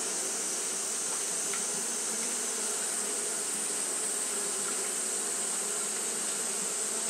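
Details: Japanese honey bees fanning continuously on a hot day: a steady, unbroken droning hum with layered low tones, over a constant bright high hiss.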